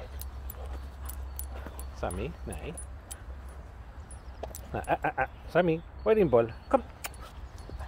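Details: Boxer dog Rex, talkative and eager to play, whining outdoors: short wavering whimpers at first, then a string of rising and falling yowling whines in quick bursts, with low background rumble and clicking sounds.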